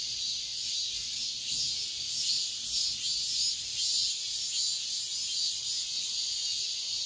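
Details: Dawn chorus of cicadas in high summer, a continuous sizzling high buzz that swells and wavers gently in regular pulses, with no other clear voices over a quiet background murmur.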